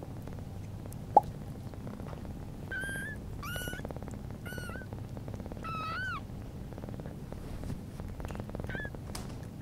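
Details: Newborn British Shorthair kitten named Pudding, on its first day after birth in September 2022, with its mother cat Sunny; five thin, high, rising-falling mews spaced about a second apart over a low steady background hum.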